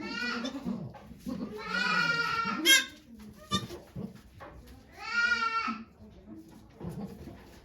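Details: During Okayu's birth of two kids at Yoshigake farm, Japan, 3 May 2023, two drawn-out, tremulous goat bleats about three seconds apart, with people talking softly around them indoors.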